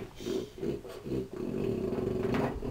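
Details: Indoors, a French Bulldog grumbles loudly in a low, snorty, rumbling voice, pestering for chips being taste-tested; begging for food. Finding: French Bulldog.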